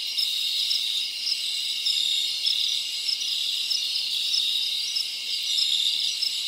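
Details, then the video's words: Dominican Republic crickets keep up an unbroken high buzzing trill, a thick chorus of many callers with slight pulsing shifts in intensity and no other sounds. "Cricket Sounds for Outdoor Adventures"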